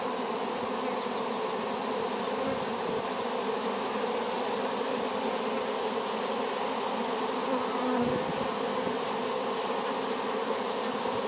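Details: Newly hived honey bees, a swarm gathered from an apple tree, giving a continuous even drone with layered low bands and no breaks across the recording, one faint short tone near the eighth second.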